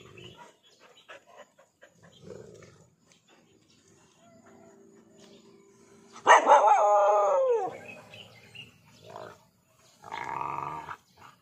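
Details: Dog frustrated at a lizard it cannot catch: soft scuffling and quiet voices first, then one loud, long yelping bark that bends downward in pitch, followed by a shorter burst of noise near the end.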